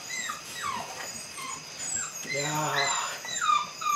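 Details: Belgian Malinois puppies, eight weeks old, from the Android Whiteline Czech x Mason's AnnieLou litter, during beginning bite work; high thin whines sliding downward repeat several times, with a person talking in a small room.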